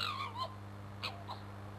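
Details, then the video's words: Fighting fox Crooked-Tail, a male, below a bedroom window. One falling, quavering scream is followed by two short harsh bursts, over a low background hum. "Fox Fisticuffs with Screaming Abdabs"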